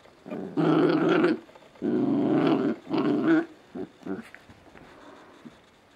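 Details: Scottish Terrier puppies, a pair, playing indoors at 5 am on a Sunday: long, throaty, rumbling growls lasting up to a second each, three big ones, then a few shorter grunts fading out.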